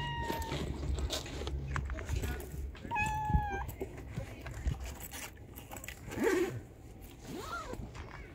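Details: Stray female tabby cat searching for food near a trash can on the street; a brief meow at the start, then a steady, level meow near three seconds and a rising-then-falling meow near the end, over street noise and low rumble.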